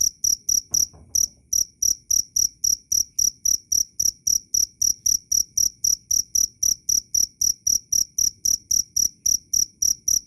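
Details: Steady cricket chirping, sharp and high, repeated rapidly at a regular pace of roughly four pulses a second, with one short gap near the beginning; clean background.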